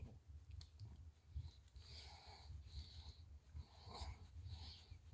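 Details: Friendly Shiba Inu named Chichi, kept near the Kanahama branch classroom in Aomori City, Aomori, petted at the neck during shedding season, sneezes three times in a row: short breathy bursts about a second apart over low wind rumble.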